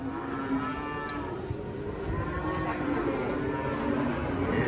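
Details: Cattle, described as cute and masked, raging hard while coming down from a truck; low, drawn-out moo tones sit under steady rumbling noise, with men talking and shouting nearby.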